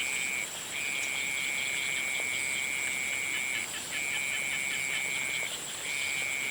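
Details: Sunset frog chorus: a sustained, even, high trill held for about three seconds, broken by brief gaps, with a continuous shrill insect drone behind it.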